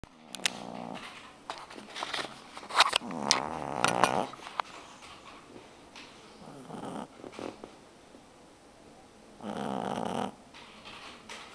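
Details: A two-month-old pug puppy snores in rough, rasping, uneven breaths, with quiet human voices in the room.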